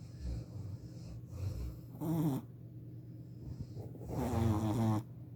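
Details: Bruno, a 4-month-old Shih Tzu puppy, snoring while asleep: a few soft breathy snores, two louder rasping ones with wavering tone near the end, and a steady low hum in the background.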